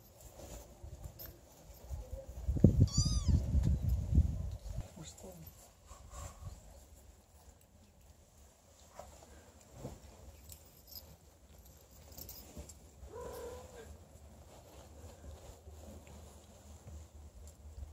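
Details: Don Sphynx kittens, 30 days old, with their mother and father. A thin, high mew rises and falls near the start over heavy low rumble and thumps, followed later by a fainter, lower mew.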